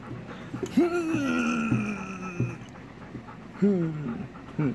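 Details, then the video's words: Chowder, a male Golden Retriever, excited to see his owner from behind a gate: long high whines that slide downward, one near the start and another near the end, with short yelps and panting breaths between them. "Chowder (Golden Retriever Boy) Is Still Excited To See Me"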